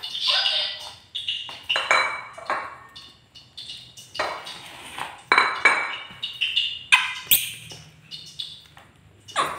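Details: A pet monkey in an angry mood lets out a run of shrill, harsh screeches and squeals, bursts rising and falling irregularly over ten seconds, with brief gaps and faint clinking sounds nearby.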